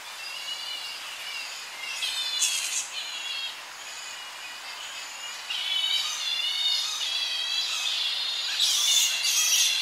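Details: Tonga flying fox colony at evening, young bats squabbling at close range: shrill, harmonic chattering calls overlap in quick succession, rising into brighter bursts near the end, with slight wind in the tree behind.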